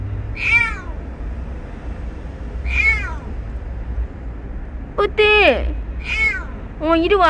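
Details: Stray kitten Ppeuti crying while being lured to safety, five short arched meows spaced one to two seconds apart, the later ones quicker and more insistent, over a low steady hum.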